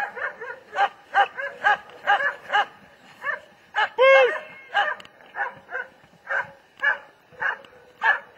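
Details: Fast volleys of short barks from a German Shepherd, interrupted midway by a single higher tonal yelp, then the quick barking resumes.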